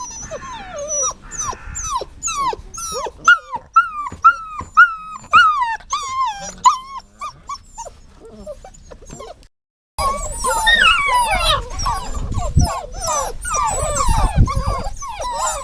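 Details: Dog giving repeated high whimpers, each a quick rising-then-falling cry about twice a second, fading out before a louder, busier stretch of dense overlapping whines over a rumbling background.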